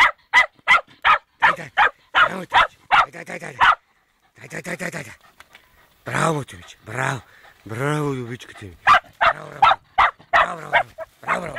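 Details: Fox terrier's first encounter with a wild boar: rapid sharp barks open, then a pause and a stretch of human talking and a drawn-out wavering voice, before barking resumes.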